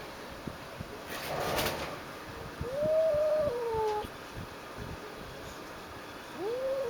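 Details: A territorial former stray house cat calling at an unfamiliar stray cat on the balcony; soft, thin, tonal rising-then-falling moans, one longer, and a short rising call later, over steady background hiss.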